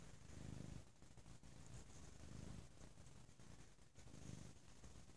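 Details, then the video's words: A loud, low purr from Bo, a cat relaxing on a lazy Sunday. Steady rumbling rises and falls in breath-paced waves roughly every two seconds, with a quiet room behind it. "Lazy Sunday With a Very Loud Purring Bo"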